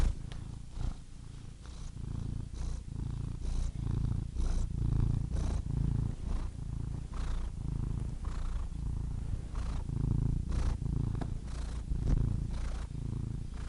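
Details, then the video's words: Domestic cat purring steadily: a deep, rumbling low purr with a pulsing rhythm of inhale and exhale phases, soft breathy bursts recurring roughly every second, no other sounds. "purring cat"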